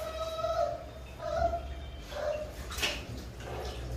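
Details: Labrador Retriever puppies, including Chút Chít, having their first bath ever: three drawn-out, steady high whines about a second apart, followed by a brief sharp squeal, over a low hum and faint background music.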